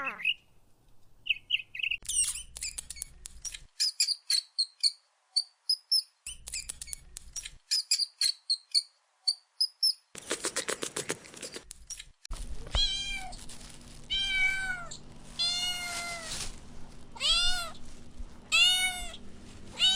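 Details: Kittens at play with pine cones on soft grass outdoors; first a run of rapid high clicks and chirps, then a series of clear rising-and-falling meows repeated every second or so over a steady low hum.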